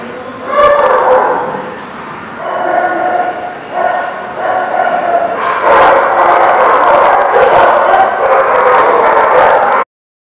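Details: Dogs recorded on 8/3/18 in a loud, continuous chorus of overlapping barks and drawn-out yelping howls with strong harmonic tones. The calls rise and swell together, with no clear pauses between them.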